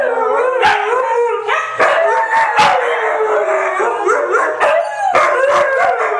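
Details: White huskies, three of them, howling in unison: dense overlapping wavering tones, some voices sliding upward, broken by brief sharp yips and clicks at steady loudness.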